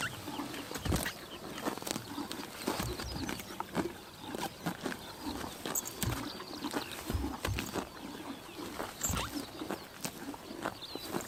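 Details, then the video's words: Grass tearing and chomping from horses feeding on a summer morning in Mongolia's Tuv province, with rapid crisp bites, often several per second and steady through the stretch, and faint chirps of small birds far behind. "Horses eating grass in summer morning / chomping noises"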